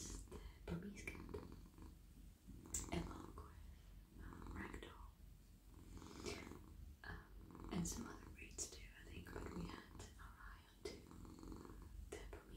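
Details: Domestic cat, a very friendly male, purring while melting in a lap as his head, neck and body are stroked; steady low rumbling purr throughout, overlaid by soft whispering and rustling hand-stroking sounds.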